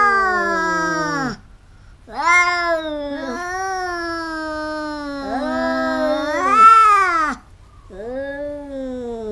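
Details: Two house cats fighting, repeatedly biting: drawn-out harmonic yowls, one voice low and steady while another rises to a strained wail, broken by short silences.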